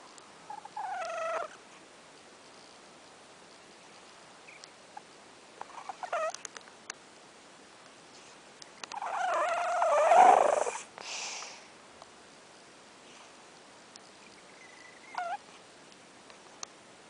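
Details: Sleeping cat snoring: brief nasal, whistly snores recur roughly every four to five seconds over a soft background hiss, with one longer, louder and rougher breath in the middle.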